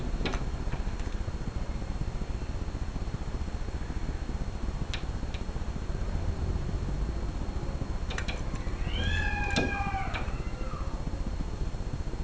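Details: Domestic cat at play, giving a short, bending meow with bright stacked overtones near the end, preceded by a few faint clicks and thumps, all over a steady hiss of background noise.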